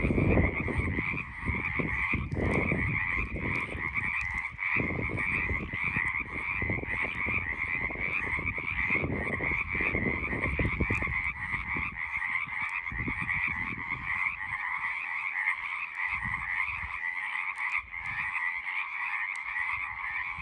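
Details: Frogs on the side of a road give a long, unwavering chorus of high ringing trills, with heavy low rumble and handling bumps during the first half that fade later.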